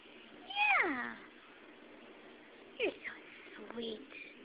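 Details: Pet cat indoors, a female, giving one drawn-out meow that starts high and slides downward, followed a couple of seconds later by softer short chirping sounds mixed with quiet voices.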